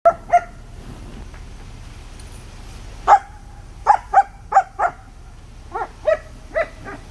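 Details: German Shepherd puppy playing with sticks, barking in short sharp bursts: two barks, a pause, then a run of about eight yaps in quick succession over a steady low background hum.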